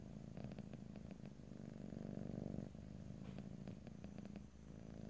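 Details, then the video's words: Domestic cat purring in stereo, a continuous low rumbling throb with louder and softer phases as breaths alternate, plus a few faint clicks; no talking. "ASMR Cat: Purring"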